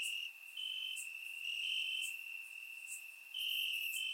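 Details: Warm summer night in Bulgaria, crickets chirping in the grass: a continuous shrill trill swelling and fading, joined by short higher pulses roughly every second, captured with a surround microphone.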